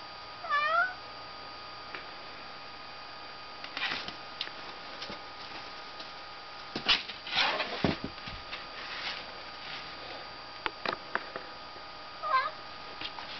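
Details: Indoor cat attacking a poster; a few short wavering meows, one at the start and one near the end, separated by rustling, scratching and thumping against paper over a constant electrical hum.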